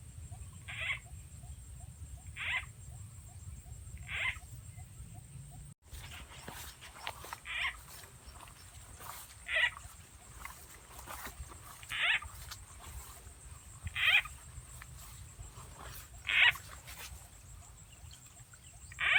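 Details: During frog catching in Rizal, Philippines, where a frog sound effect lures frogs, short croaking bursts repeat roughly every two seconds, against a low hum, rustling and faint ticking insects.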